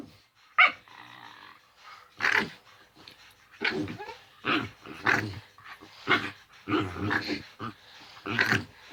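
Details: Male pet dog at play, giving its usual playful noises while guarding its ill owner; rough growling grumbles mixed with short barks, coming in quick uneven bursts through most of the stretch.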